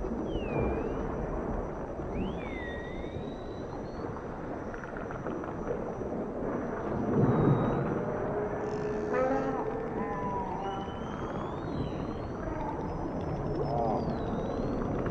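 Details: Dolphins underwater in the ocean, giving a series of swooping, upward and downward whistles, a brief buzzy burst of clicks near the middle, then long high rising whistles, all against constant low rushing noise.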